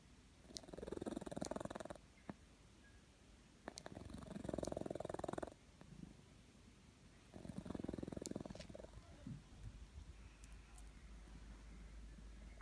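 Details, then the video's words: Snoring house cat giving three raspy, fluttering breaths of about two seconds each, repeated every three to four seconds, with faint clicks and hiss in the quiet gaps. "Snoring cat"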